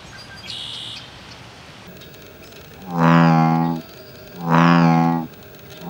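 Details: Territorial male American bullfrogs give two deep, resonant, throaty drones, each under a second and roughly 1.5 seconds apart, after a brief high buzzy note from another animal; soft outdoor ambience underneath.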